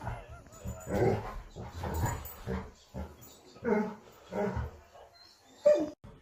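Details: Dog giving a series of short, loud barks spaced about a second apart, with pauses between bursts and a final sharp yelp near the end.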